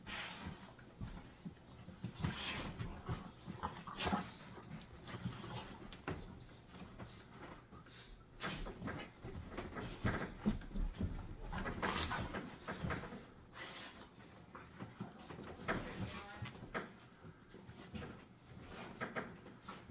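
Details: Pit bull puppy still with baby teeth wrestling in play with a patient adult rescue pit bull: near-continuous rough growling and snarling, with panting, scuffling bursts and occasional whimpery squeals rising and falling throughout.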